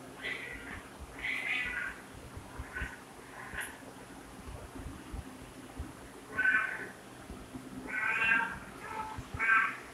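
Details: Domestic cat meowing in a string of short, bright, harmonic mews at irregular intervals, softer ones early and louder, drawn-out meows near the end, over a steady low hum.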